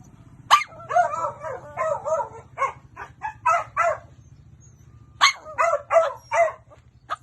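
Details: Pet dog giving a run of yappy barks in close clusters, a rapid string of four or five then a pause and another burst, over a faint low hum.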